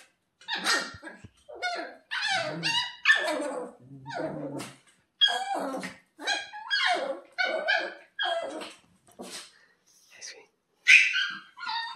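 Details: Kuroe, a ten-week-old female Shiba puppy on her second day home, screaming indoors: high, shrill, harmonic yelps and wails in rapid uneven bursts, some drawn out, with short silent gaps between outbursts.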